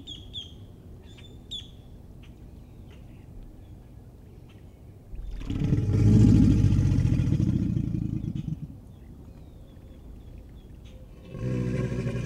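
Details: An American alligator gives a deep, rumbling mating bellow lasting several seconds, after a few high bird chirps.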